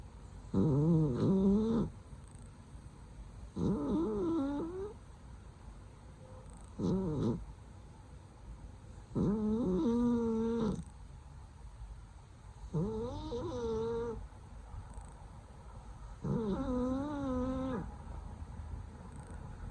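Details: Sleeping female cat snoring loudly: six drawn-out, tonal, wheezy breaths, each about one and a half seconds long and repeated roughly every three seconds, with quiet pauses between them in a still room.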